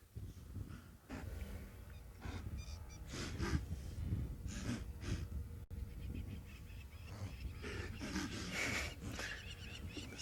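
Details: Blue wildebeest of the migration herds on the Maasai Mara plains give a chorus of short, breathy, explosive snorts in quick succession as two lionesses approach them one afternoon, over a low rumble and a man speaking quietly.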